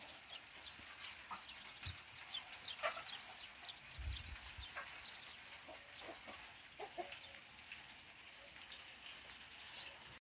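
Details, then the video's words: A brown rat caught in a cage, a predator at a chicken coop, gives a rapid stream of thin, high squeaks, with a few dull knocks. "Predatori del pollaio. Topo in gabbia. Verso del topo( pantegana)"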